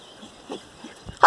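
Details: Miniature Pinscher puppies out on a morning walk; quiet rustling and soft footstep taps, then one sudden sharp, loud, harmonic-rich yip closing the moment.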